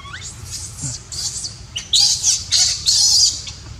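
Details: Baby monkey neglected by its mother gives raspy, high screaming cries, starting with small thin squeaks and building to three loud, sustained harsh screeches at the close.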